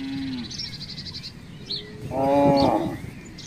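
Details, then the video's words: Village cattle roaming free around houses: a short low lowing, then one strong, rich moo lasting under a second, while small birds chirp high in the background. "suara sapi"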